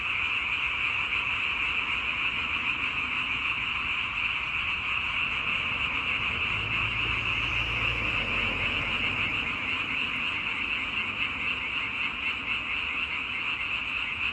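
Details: Many frogs calling together in a continuous shrill, buzzing chorus that never pauses, with a faint low rumble partway through.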